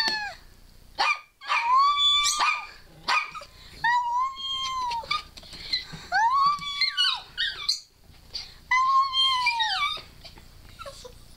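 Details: Female pet dog Scarlett 'talking' with word-like whines, prompted by a person's squealing. Arched, sustained tonal yodels repeat in bursts of about a second, separated by short pauses, with rich harmonics and high squeaky sounds overhead.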